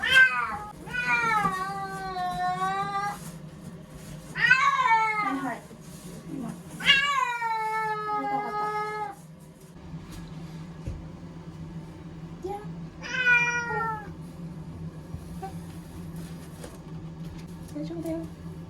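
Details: Ear-tipped community cat Chanta yowls while kept in a bathroom as Typhoon No. 10 nears Okinawa in September 2020; a run of loud, strained, harmonic-rich cries in the first nine seconds, then quieter with one more wail, steady low hum throughout.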